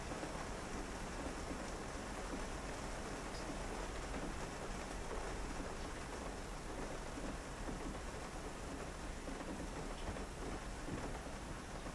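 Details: Steady hissing rain with a low rumble of thunder fills the whole stretch, and no purring or other animal sound stands out.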